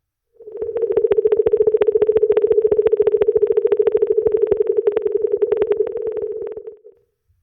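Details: An Atlantic minke whale (Balaenoptera acutorostrata) gives a pulsed call, a steady, buzzing mid-pitched tone made of rapid pulses lasting several seconds.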